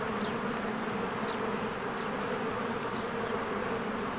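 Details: Many honeybees crowding in and out of a cozy hive in spring; thick continuous buzzing, with a few short, thin bird chirps rising above the drone.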